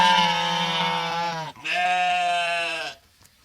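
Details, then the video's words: Sheep bleating twice, each a long, steady, nasal bleat of about a second and a half with a rich buzzy tone, separated by a brief pause, then quiet. "Suara Domba | Sheep Sound"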